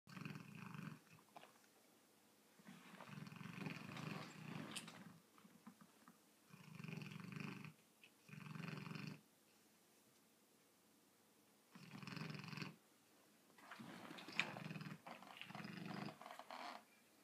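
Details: A sleeping 7-month-old Rottweiler snores in rough, rumbling breaths with quiet pauses between them, apparently dreaming and running in his sleep.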